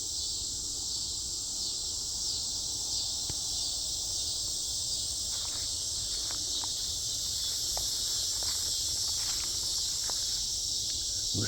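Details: Cicadas calling extremely loudly on a mid-August night in 2025 in a south Chicagoland forest preserve; a dense, unbroken high-pitched buzzing drone fills the whole recording, with faint clicks and rustles beneath.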